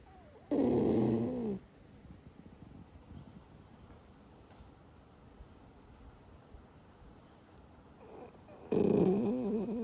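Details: Sleeping Shiba Inu, apparently having a good dream, snoring; two loud, rough, wavering snore bursts about eight seconds apart, with quiet soft breathing in between.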